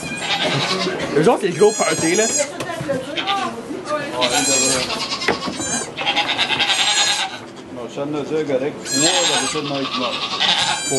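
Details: Birth of two baby goats at a sugar shack in Quebec, Canada, recorded with an iPod Touch 4G: several thin, high bleats sound in separate bursts, with people talking in French throughout.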